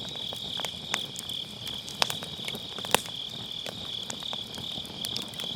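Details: Grass insects trilling on an autumn night, a thin high continuous buzz with slight pulsing, beside a campfire whose logs snap sharply several times, including loud pops near the middle; recorded with an MKE600 and low-cut.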